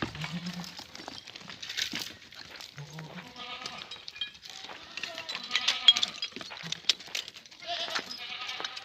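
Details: French Alpine goats on a farm in Guercif, Morocco, being offered for sale: several overlapping bleats from more than one animal, some short and low, others higher and quavering, mixed with rustling and clatter.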